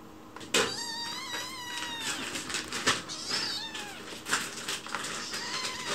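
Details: Chichi, a lone-rescued white kitten, begs sweetly for food while someone works in the kitchen. A long wavering meow is followed by shorter rising-falling ones, over kitchen clatter and sharp clicks.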